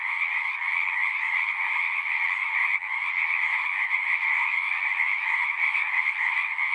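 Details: Unbroken chorus of singing frogs, high and mid-pitched trilling layered into a constant drone, with a brief dip in loudness near the three-second mark.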